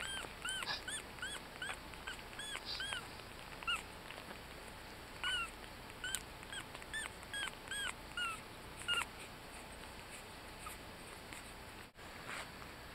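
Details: Yorkshire Terrier puppies, eighteen days old and just learning to walk, toddling, eating, cuddling and resting: thin, high squeaks and whimpers, short arched cries in quick overlapping bursts, easing off toward the end over a quiet background.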